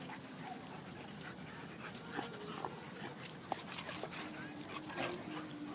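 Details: A Staffordshire Bull Terrier and an English Mastiff wrestling in Central Park, New York: rough snuffling, grunting and panting bursts with brief low whine-like tones, over steady outdoor background noise.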